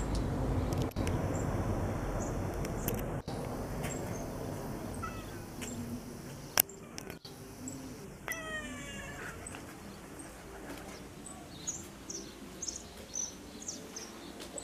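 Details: Domestic cat gazing toward the sky and a wall gives a single drawn-out, harmonic meow about halfway through, among faint outdoor hiss, scattered clicks and small bird chirps in the background.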